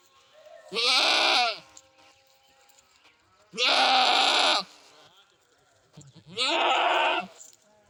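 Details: Three long, loud goat bleats, each roughly a second, tremulous and buzzy with bright upper tones, spaced about two to three seconds apart.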